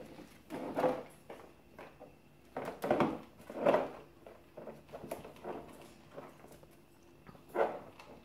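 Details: Two Cavalier King Charles Spaniel puppies, 5½ weeks old, give short, irregular yips and squeaky whines while playing indoors.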